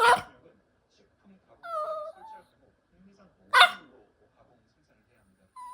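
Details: Indoors, elderly dog Haeri, aged sixteen, alternates barks and whines: an opening bark, a wavering whine, a second loud bark, then a short rising whine starting as the sequence ends.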